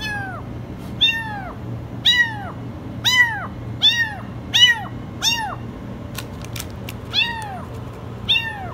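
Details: Very high kitten meows from a kitten stuck in a washing machine, arching cries repeated roughly once a second, each rising then falling, with a few sharp clicks and a constant low hum beneath.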